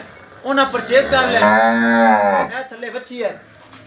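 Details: Friesian dairy cow in Pakpattan, Punjab, said to give 45 kg of milk, lets out one long, steady, even-pitched moo lasting about two seconds, framed by shorter grunting lows before and after, with men talking nearby.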